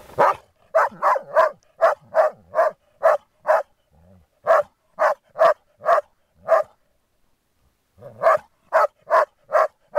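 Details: Playing Groenendaels, guarding a resource, bark in long rapid runs of around twenty barks. A brief low growl sounds in a pause near the middle.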